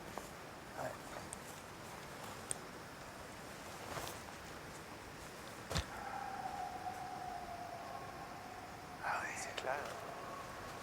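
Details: Wild wolves in forest near a fjord estuary, answering each other from several directions with echoes off the mountains: a long, steady, slightly falling howl held about three seconds, then a higher curving note, amid soft whispered voices and footsteps.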